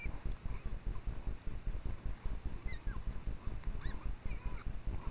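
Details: An adult female Japanese wild boar suckles one of her three piglets while foraging on a mountain trail in Japanese red-cedar forest at dusk, late August 2022, with deep, rapid, rhythmic grunts, squeaks and faint bird whistles.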